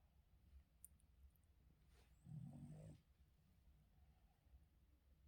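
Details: Boston Terrier named Yoda at morning wake-up, giving one low, rumbling snore lasting under a second amid an otherwise quiet indoor room.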